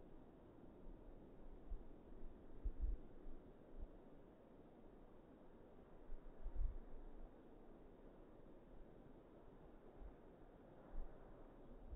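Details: Low rumbling wind buffets an outdoor microphone, with occasional gusts and faint rustling; no animal sound is heard.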